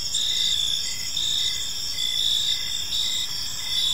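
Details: Short stretch of evening cricket chorus in a park: shrill steady trill with chirps pulsing a little slower than once a second, faint low ambient noise.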